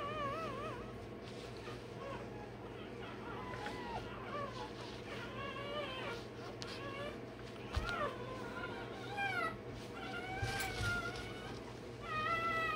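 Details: A Rottweiler puppy only a day old squeals repeatedly while its tail and dewclaws are done. The thin, quavering wails rise and dip unevenly, with a constant background hum and brief handling noises.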